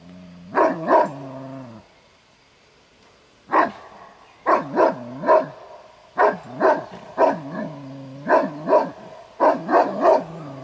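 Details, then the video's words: Kuvasz guarding its territory and owner's property at a breed competition; barks come in bursts of two to four, separated by short pauses, with a deep droning low tone running beneath some bursts. "Gyémánt Kuvasz Kupa II. - megfelelő területvédelem"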